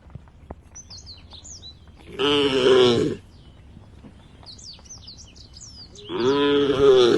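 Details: Tame cows in a herd walking toward a field at the forest edge; two loud, harmonic moos about four seconds apart, each lasting roughly a second, with high chirping birds between them.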